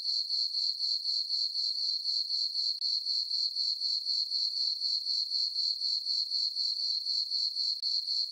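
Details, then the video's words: Crickets on a farm meadow at night under a full moon in summer, giving a constant high-pitched pulsing chirp of about four beats per second, steady in loudness, with no other noise. "Cricket chirping sounds for sleeping"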